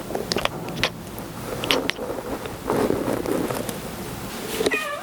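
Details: Male pet kitten chirping: mostly soft clicks and light rustling, then one short chirp near the end with stacked tones sliding downward.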